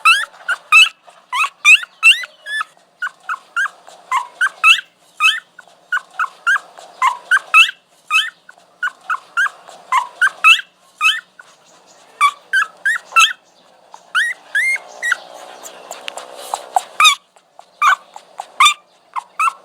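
A dog whines in rapid bursts of high, thin whimpers that rise and fall in pitch.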